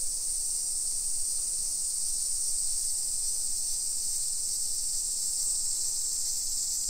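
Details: A steady wall of summer cicada song recorded on a walk through a modern neighborhood in Nisshin, about 20 km from downtown Nagoya, Japan, at 1 PM, 28 July 2021. The sound is a dense, even, sizzling whine, unchanging, with light low street rumble.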